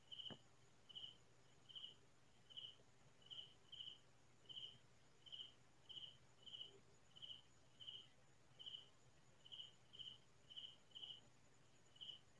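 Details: Crickets calling at night in quiet farmland: short, bright, pulsed chirps repeated steadily, roughly eighteen in twelve seconds, over a soft, still background with no other clear sounds.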